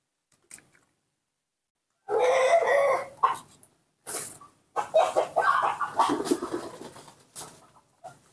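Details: A hand-raised baby monkey, refusing bananas, calls for milk: a drawn-out, harmonic wailing cry lasting about a second, followed by a run of rougher, broken cries and soft indoor handling noise.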